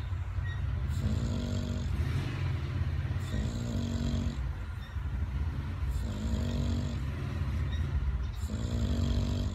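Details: A male English Bulldog snores loudly while fully awake, a deep rattling snort repeated roughly every two seconds, and he keeps snoring even after noticing he is being filmed.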